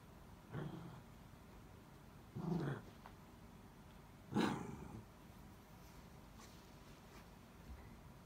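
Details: Indoor Miniature Dachshund calling for help to get a toy back from under a bed; three separate nasal whines about two seconds apart, each brief and harmonic-rich, with near silence between them.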